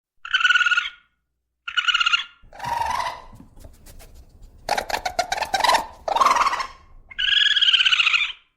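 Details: Raccoon natural sounds: two short harmonic squealing cries, then harsh raspy growling bursts and crackling, another squeal and a longer wavering whining cry at the end.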